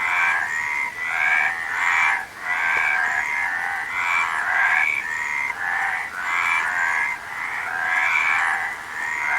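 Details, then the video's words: Massed frogs give a continuous, rattling, nasal croaking. The overlapping calls rise and fall in loose pulses with hardly any silence. "Frog Sound"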